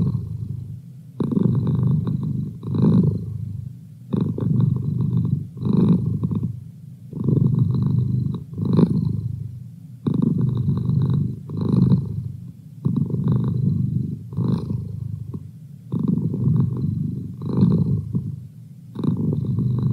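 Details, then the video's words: Steady low purr from Merlin, a pet cat, rising and falling in rhythmic rumbling stretches with short breaths between them over twenty seconds. "Cat Purr"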